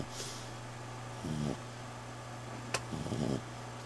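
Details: Sleeping female dog healing from fight wounds, drains in her leg, resting in a bedroom: two short snorting breaths about two seconds apart, with a faint click between them and a constant low hum.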